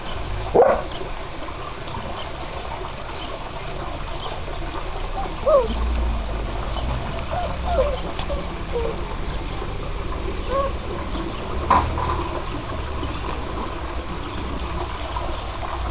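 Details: Bernese Mountain Dog puppies give short, high whimpers and squeaks, scattered sparsely through the clip, over a low rumbling background.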